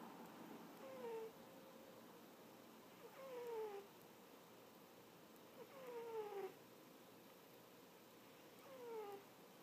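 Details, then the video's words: Napping house cat snoring in squeaky bursts, each a brief falling squeak over a soft breathy noise, four snores spaced about every two to three seconds, quiet indoor background. "Snoring Kitty"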